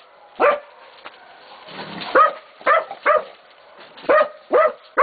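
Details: Young Catahoula and Black Mouth Cur pups, 11 to 16 weeks old, baying a pig at Golden Creek Catahoulas Kennel: loud, clipped barks spaced irregularly, about half a second apart at their quickest, over a low background hiss.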